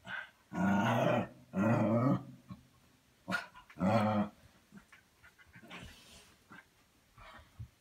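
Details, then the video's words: Pet dog growling playfully indoors in a tame play session; three loud rough growl bursts about a second each, then a pause and quieter grumbling noises. "Dog makes funny noises"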